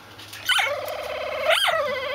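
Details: Dog whose bark sounds like a plastic squeeze toy: two squeaky yelps that sweep up and back down, joined by a steady wavering whine.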